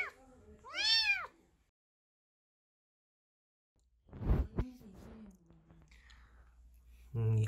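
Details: A tiny kitten abandoned by its mother, adopted at a country house near Mukho, Donghae, Gangwon, gives a high, arching meow, crying for milk because it is hungry, followed by people talking.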